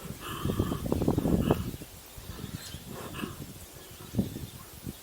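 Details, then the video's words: Low, rasping pulsed grunting from a koala on Kangaroo Island, Australia, as it eats eucalyptus close by; one strong rumbling burst early, then scattered softer grunts and rustles. "cute Koala making weird sound and eating"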